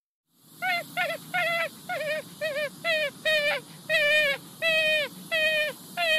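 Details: Raccoon calling: a string of wavering, whining notes, each under half a second and with a slight quaver. They repeat about every half-second over a quiet background.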